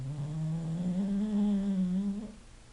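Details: English bulldog snoring while asleep: a single long, droning, nasal tone lasting over two seconds, steady and slightly rising before it fades, with a faint hiss in the background.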